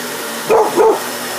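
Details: Basset Hound, very hyper and wound up while another dog goes after a vacuum cleaner, gives two short harmonic barks about a third of a second apart over a steady vacuum hum.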